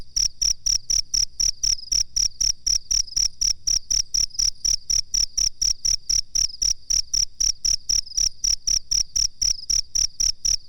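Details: Cricket chirping, kept as a master for bird training: a long run of crisp, piercing pulses at a brisk, nearly unchanging rhythm of about four a second, around forty in total, with a clean background.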